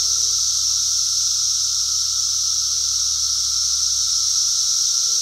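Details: Cicadas calling on a farm, 2016, so loud they masked people's voices: an unbroken shrill, buzzing wall of sound with a lower whining band, over a faint low hum and a few short tonal chirps.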